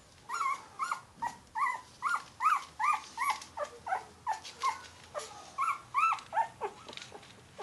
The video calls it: Yorkie Puppy Crying Sound Effect